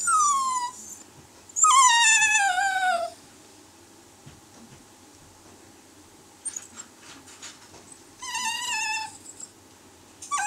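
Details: Italian Greyhound giving three bursts of high, tonal, whining yelps. Each slides downward and is richly harmonic. Quiet gaps separate the bursts, and faint rustles sound in a small room.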